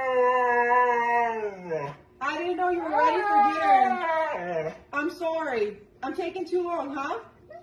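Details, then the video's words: Siberian Husky vocalizing in a talking style: a sustained mid-pitched howl that falls away, followed by several bending, yodelling 'woo-woo' phrases with rising and falling pitch. "Hilarious Talking Huskies Compilation | husky talking"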